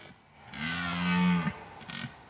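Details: In autumn mist at a meadow's woodland edge during the rut, a wary red deer stag about 50–60 m away gives a deep, drawn-out roar of about a second, followed by a brief grunt.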